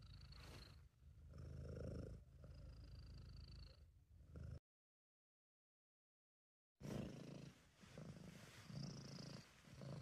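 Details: Sabu, a British Shorthair cat, purring when relaxed and content: a low rumbling purr in breath-paced bursts, with a silent break of about two seconds midway and a faint high hiss above.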